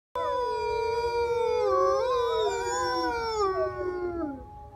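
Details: Juvenile grey wolves of the captive Beenham pack at the Wolf Conservation Trust, UK, howling together: several long, smooth, overlapping tones that slide gently up and down, with voices weaving around each other and fading near the end.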